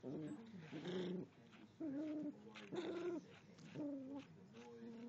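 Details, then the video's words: Yorkshire Terrier growling at a dog brush: rough, pitched growls in bursts of about half a second to a second, separated by short pauses, some rising into whiny tones. "Yorkshire Terrior Growls at dog brush"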